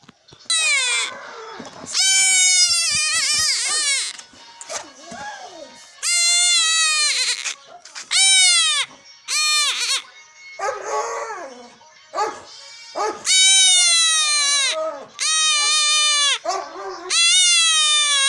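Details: Three-week-old male goat kid bleating during castration: a long run of loud, strained, wavering bleats with a quavering tone, many in quick succession with short gaps between them, plus some faint background sounds.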